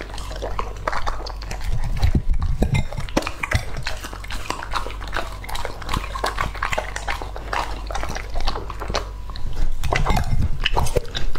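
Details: A male English Labrador named Lucky, two and a half years old, devours raw meat; loud wet munching and bone-crunching snaps run at roughly two per second, irregular, with thumping low rumbles near the start and end.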